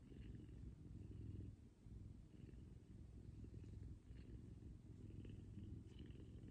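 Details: Kumba, a big F2 Savannah cat, purring loud during a morning cuddle with its owner; steady deep rumble throughout, with a brief dip near two seconds, faint higher rustles above.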